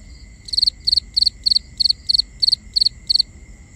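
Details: Crickets at night in binaural nighttime ambience: steady high chirps, each a tight burst of three pulses, repeating about three times a second in an even rhythm over a quiet low background hum.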